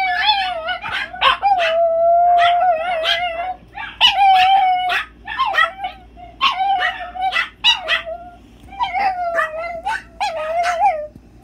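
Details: ChiChi the chihuahua keeps up a wolfish howl: repeated held, wobbling tones, each followed by clusters of short yipping bursts, about every two seconds.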